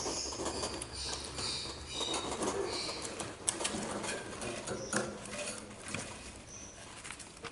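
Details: A hedgehog at a wildlife rescue centre, irritated by other hedgehogs in the room and kept until it regains weight, huffs and snuffles in rapid, uneven bursts of breathy, clicking puffs.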